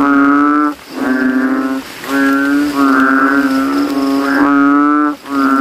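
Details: Night after rain in a cemetery puddle: banded bullfrogs, throats ballooned, compete in volume. Resonant, moo-like calls about a second long come in quick succession with short silences between some of them.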